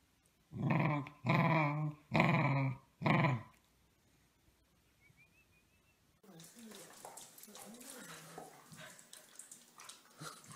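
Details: Corgi, a pet dog, giving four loud, low, harmonic growling barks in quick succession, each about half a second long, followed by quiet and then a stretch of mixed room noise.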